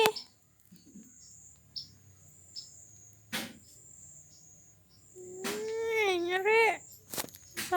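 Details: Domestic cat Iteung Mariteung, a mother calling her kittens while trying to move them. One drawn-out, wavering meow lasting about a second and a half comes late in the clip, after quiet stretches broken by faint clicks and bumps.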